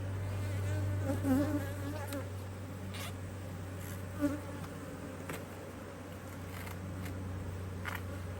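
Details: Honey bees swarming around an opened beehive as an extra box is added, Australia, mid-Autumn 2023, sunny spell with bees very active; dense continuous hum over a low steady drone, with faint ticks and knocks.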